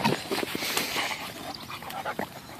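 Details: Rescue Bull Terriers, a nine-month-old puppy named Peyton and eleven-year-old Quigley, during belly rubs and rough play; quick breathy huffs and soft whimpering noises run through the moment, with a woman's cooing voice nearby.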